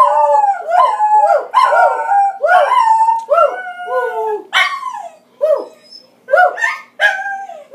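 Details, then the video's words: Scottie dog singing with a grandmother, giving a series of short rising-and-falling howled yelps about once a second, some phrases breaking off into gaps of silence. "Granny sings with Scotty"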